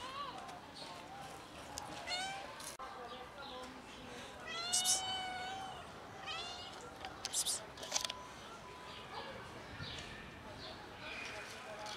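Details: Three kittens playing with their black mother cat and then eating; several high, bright meows rise and fall in quick succession, clustered around the middle of the recording, over a soft background hum with a human voice nearby.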